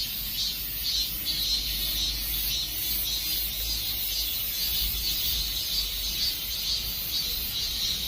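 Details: Cicadas singing as summer fades: a steady, shrill insect drone with a rhythmic throbbing roughly twice per second, holding constant throughout, with faint low background rumble.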